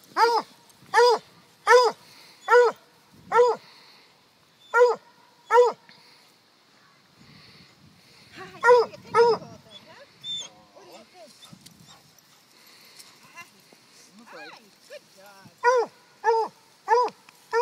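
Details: Holly the dog, recorded at Rovers Run in October 2012, barks in a steady run of sharp harmonic yaps about once a second, pauses amid softer whimpers and rustling, then resumes the rhythmic barking.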